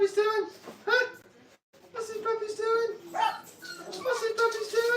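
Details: Crated Brittany puppies, five weeks old, at a training kennel. Sustained, steady-pitched whines come in long overlapping stretches, briefly broken by a pause, then resume with rising and falling cries.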